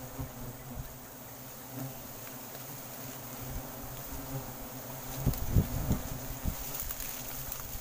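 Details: Giant honey bees swarming in Sumatran forest as a wild honeycomb is cut down: a deep, continuous buzzing drone that swells near the end, with a few sharp knocks and a high insect hiss in the background.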